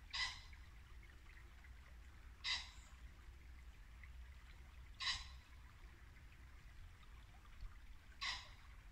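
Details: Barking muntjac in a Norfolk late-winter woodland at dusk. Four sharp, hoarse barks come about every two and a half seconds over the steady low rush of a nearby brook.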